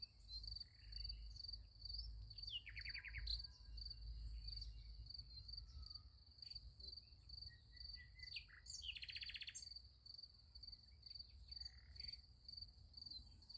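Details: Beside a sunflower field at night, crickets chirp in a constant high pulsing rhythm while two short raspy trilled bursts stand out, over a noticeable low rumble.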